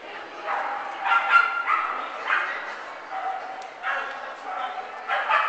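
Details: Bree, a dog, romps with Vinny at the Fox Valley agility trial; short harmonic barks and yips come in quick bursts roughly every half second, with voices talking underneath throughout.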